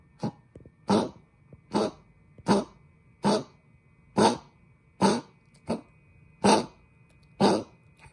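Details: Coughing fit from a house dog with laryngeal stenosis, bad enough to need the vet again: a steady run of about ten harsh, hacking coughs, each short and noisy, spaced under a second apart.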